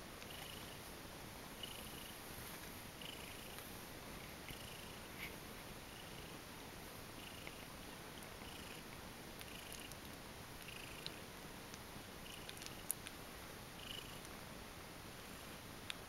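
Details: Soft continuous purring from a pile of kittens drifting off to sleep after feeding, an even low hum with occasional faint ticks and shuffling in a quiet room.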